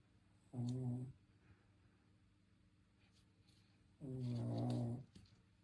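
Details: A sleeping Shih Tzu snoring indoors: two low, rumbling, harmonic snores about half a second to a second long, roughly three and a half seconds apart, with quiet breathing between and a brief human voice near the end.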